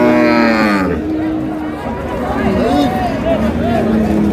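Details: Cattle at Ambari Haat livestock market in Dinajpur, where improved-breed dairy cows and calves are sold, dated 7/6/26: a long, low moo that slowly falls in pitch, then wavering lower lowing, with market chatter and bargaining voices behind.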